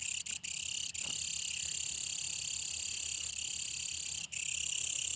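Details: Brown katydid calling: a continuous, dense, very high-pitched buzzing drone that holds steady throughout, with a few brief dropouts near the start and one just after four seconds.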